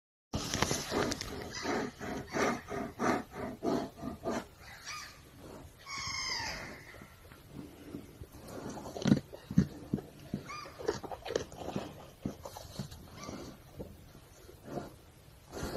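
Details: A brown bear outside a tent gives a quick series of rough, breathy huffs and grunts, then a brief drawn-out moan.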